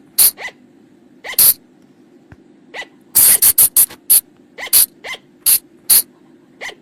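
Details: Flying lemur call, known locally as bang, pung jong or pa jong, used to lure the animals at night: sharp, harsh bursts, several with a short descending whine, repeated irregularly. A quick run of about seven bursts comes midway over a faint low hum.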